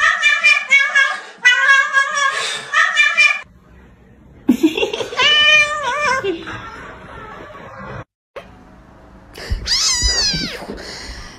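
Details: Domestic cat meowing indoors, a few drawn-out rising and falling meows in separate bursts, mixed with sustained voice-like tones and gaps of quiet room noise.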